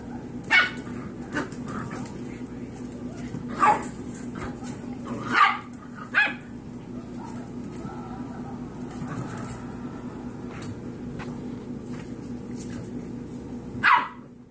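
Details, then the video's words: Golden Retriever mix puppies, six weeks old, playing around indoors; a few short yelps and barks scattered across the recording, with a steady low hum behind. "Foster puppies playing"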